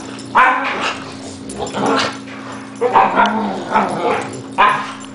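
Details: Ten-month-old Yumi play fighting with Louis: sharp, repeated barks in quick clusters, about five loud bursts within five seconds, over a steady low room hum.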